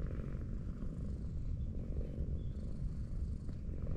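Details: Affectionate tortoiseshell cat lying on a sloping road while being petted, giving a steady, low, rumbling purr that runs without a break through the whole stretch, with faint outdoor hum behind it.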